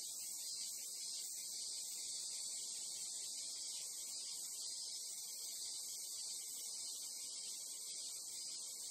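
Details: Japanese crickets or cicadas keep up a constant shimmering high-pitched buzz, many insects overlapping in an even chorus, with a faint low murmur of ambient noise below.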